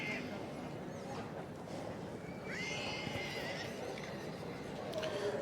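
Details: Welsh Cob filly, three years old, at a horse show, gives a single high whinny that falls in pitch midway through, over steady crowd and arena noise and faint hoof sounds.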